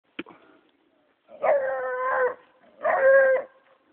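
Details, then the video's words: Six-month-old bloodhound puppy in Mississippi on his first deer find, giving two long, drawn-out baying howls, each about a second, steady in pitch and rich in overtones, after a short sharp noise at the start. "Puppy Blood Hound on Deer"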